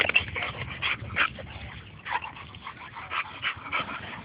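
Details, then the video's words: Bo and Glacier, two dogs playing together at a dog park: short breathy bursts and soft yips come in quick, irregular clusters, with scuffling play noise between them. "Bo and Glacier Playing at the Dog Park"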